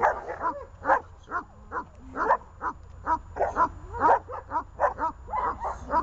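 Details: On a leash, dogs Glemmi, Fela and Rey keep up an excited stream of sharp barks, about two a second, with occasional higher yelps and a low steady hum beneath.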